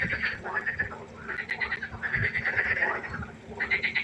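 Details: Chorus of frogs at night by a pond, overlapping pulsed, rattling croaks in bursts of about a second, with brief quieter gaps between the bursts.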